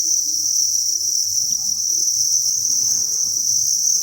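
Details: Crickets massed in a breeding facility produce an even, high-pitched shimmering trill that never breaks, over quiet low rumbling and shuffling noises that thicken in the second half.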